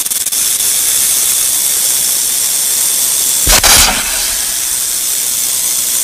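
A rattlesnake's rattle, a steady high dry hiss that runs without a break.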